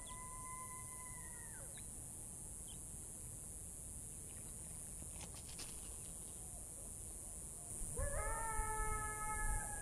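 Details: Rival coyote pack heard at sunset in the Catalina Foothills desert near a critter pond, where a young female drinks. A long, falling howl opens, then several overlapping, rising, wavering howls join near the end over a steady high hiss.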